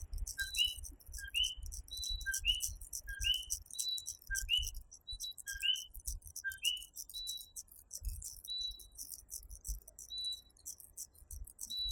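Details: Nighttime chorus of coquí, tiny tree frogs of Puerto Rico: a two-note 'co-qui', a short low note then a higher rising whistle, repeated about once a second, with other higher frog notes and a dense buzzing insect background.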